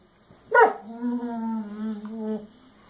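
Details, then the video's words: Puppy Scooby throwing a tantrum indoors over a chew held by another dog, Rocky, with toys scattered on the floor; a sharp bark opens into a sustained, slightly wavering whine lasting nearly two seconds. "Scooby Throws a Puppy Tantrum"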